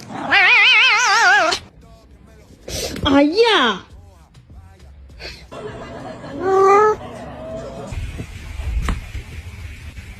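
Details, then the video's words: A boss cat squares off against a naughty kitten. A long wavering yowl with strong vibrato, a bending whine, then a shorter quavering cry, over background music, people talking and laughter. "Boss Cat vs Naughty Kitten"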